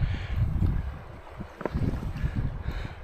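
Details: Low rumbling wind buffets and splashing water, with no animal voice.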